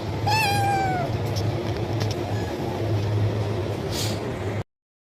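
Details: One loud kitten meow asking for food, beginning high and sliding downward over nearly a second. Faint background hum continues until the sound cuts off abruptly.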